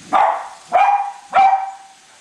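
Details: Three ringing, slightly drawn-out barks, evenly spaced about half a second apart, from Cavalier King Charles Spaniels Colby and Shelby as they chase a new toy train around a Christmas tree at home.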